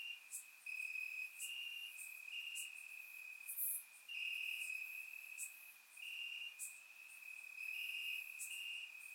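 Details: On a warm summer night in Bulgaria, crickets chirp in the grass, a continuous high-pitched trill swelling and fading in drawn-out pulses, faint sharper clicks scattered above, captured by a surround microphone.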